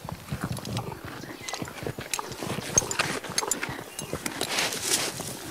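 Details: Horse grazing, with short bursts of crunchy bites and chewing that come close together, plus a brief swell of rustling near the end.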